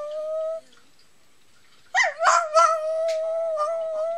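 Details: Pomeranian indoors howling like a small child wanting someone to get up in the morning: a steady mid-pitched tonal howl, a pause, then a broken yelping onset settling into another long sustained howl.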